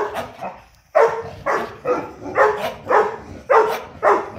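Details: Pet dogs in a morning barking competition indoors: rapid, regular barking with a sharp bark roughly every half second after a quiet opening second, with faint room echo.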